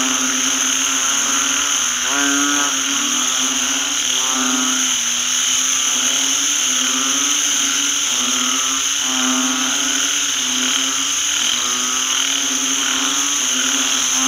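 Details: A chorus of banded bullfrogs resounds across a rice field following rain. Throaty, buzzing, mooing croaks overlap almost constantly, a louder caller stands out near the start, and steady high-pitched ringing runs throughout.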